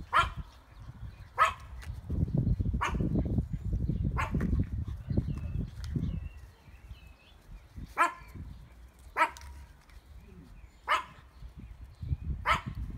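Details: Dog barking on an ordinary afternoon: about nine loud, abrupt barks in irregular bursts, with some quieter chirping and low rumbling noise between them.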